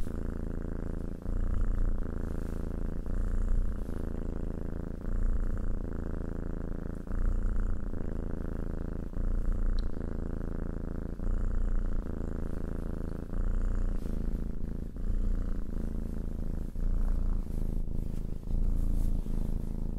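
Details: Long stretch of cat purring: a continuous low vibrating drone, pulsing with inhale and exhale about every two seconds, steady throughout with no other noise.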